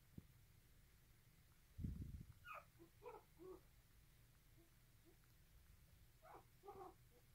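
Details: Nursing poodle puppy, called aggressive, making brief squeaky whimpers in short groups after a dull bump, quiet and set against a constant low rumble and hiss.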